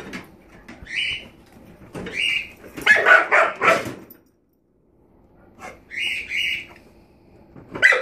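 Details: Rosie, a puppy, barking at the drawer under an oven: short high yaps in pairs, with a louder burst of barking in the middle, then a quiet pause and more yaps, with household sounds underneath.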